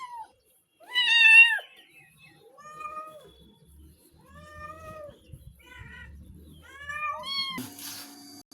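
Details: Frightened pet cat being bathed at home, giving about seven drawn-out, harmonic meows over eight seconds, some rising then falling, others short and clipped; a man speaks softly between them, and a sharp clatter ends the recording.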